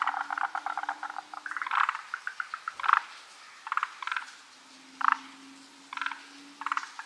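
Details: Forest green tree frogs calling unseen in a big chorus: overlapping rattling pulse trains at first, then spaced bursts of knocking croaks about once a second, with a faint steady low hum.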